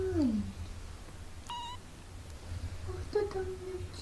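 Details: British Shorthair kittens 17 days after birth, learning to walk, mew in short, reedy cries: the first drops quickly in pitch, and a later one stays level before fading. A low indoor hum runs underneath.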